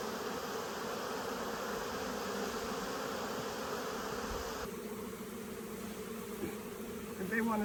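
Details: A caught honey bee swarm fills the air with a thick, even buzzing drone that thins and softens slightly about two-thirds through, with a brief high squeak near the end.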